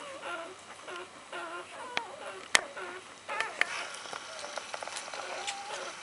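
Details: Puppies two days old, delivered by C-section on 20 January 2013, nursing with their mother Gemma; repeated wavering, high whiny squeals from several pups in quick succession, plus sharp clicks and rustling.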